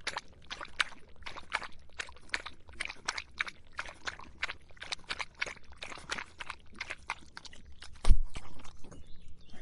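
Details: In hot summer weather a dog quenches its thirst, tongue lapping in a fast regular run of wet clicks, roughly four to five a second, with one louder thud near the end.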